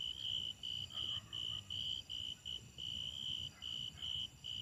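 A grasshopper stridulates in a high, shrill buzz, broken into short bursts with brief gaps between them. A low rumble of background noise sits underneath.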